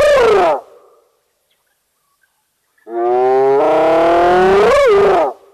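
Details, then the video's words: Spotted hyena calling at Nkorho, Sabi Sands Reserve next to Kruger National Park, South Africa, recorded by a wildlife camera: a falling tail of one call, a pause, then a long, loud, hollow hooting note that lifts and bends near its end. "Spotted Hyena making its self heard"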